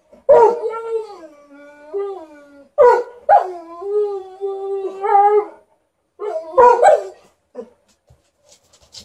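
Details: In a barking and howling competition, two Alaskan Malamutes trade sharp barks and long, wavering howls that slide up and down.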